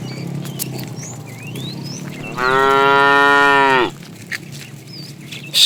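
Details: Tame cow roaming the road looking for food lets out one loud, steady, harmonic moo of about one and a half seconds, surrounded by high chirping birds.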